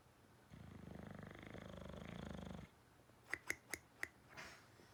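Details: Loud, coarse snore from a dozing dog, a vibrating rattle sustained for about two seconds, ending abruptly before four sharp clicks and a soft breath in a quiet room.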